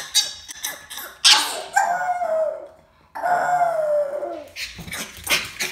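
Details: Norwich Terrier demand barking: a few sharp yaps, then drawn-out whining howls that slide downward, a brief silence, another long whine, and a final flurry of quick barks.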